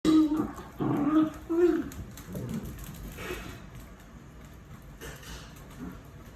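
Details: Dachshund puppies whining indoors: three loud, steady, low-pitched whimpers within the first two seconds, each about half a second long, then softer scattered whines and rustling fade over the remaining seconds.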